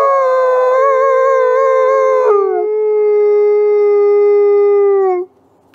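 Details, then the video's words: Captive ambassador gray wolves at a conservation center howl and harmonize in long, mournful tones, one held note wavering before dropping to a lower steady pitch. "Wolves Howl and Harmonize"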